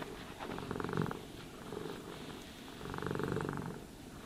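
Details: Purring house cat being groomed with a brush; a deep, pulsing rumble repeats in two strong waves about two seconds apart, each lasting under a second, over a quiet indoor background.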